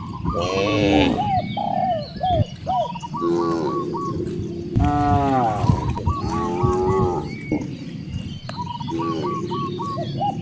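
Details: Hungry cows mooing in a village near vast rice fields: several harmonic moos, some rising then falling, overlapping one another, with a steady high whine and bird chirps in the background.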